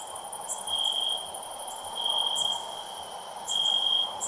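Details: Loud cricket chirping: a steady high whine runs throughout, with brief bright chirps about once a second and louder swells every second or so against a soft background hum.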